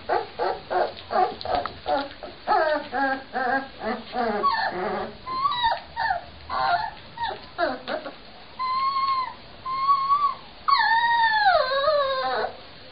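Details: Several Cane Corso Mastiff puppies from Fortenero yipping in quick repeated bursts about twice a second, then shifting to thin, clear whistled whines that rise and dip, one long falling cry near the end.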